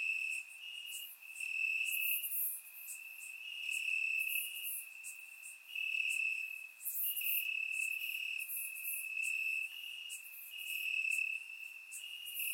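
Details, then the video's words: Warm summer night in Bulgaria with crickets calling from the grass; a continuous high-pitched trill pulses in loud phrases of a second or two, overlaid by brighter shimmering insect buzz, recorded in surround sound. "Cricket Sounds - Crickets Chirping at Night"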